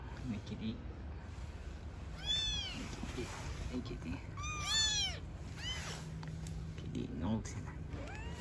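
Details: Mother cat and newborn kittens living on the street: scattered arched meows, several in a quick cluster midway and a few fainter ones later, mixed with a woman talking softly and low background hum.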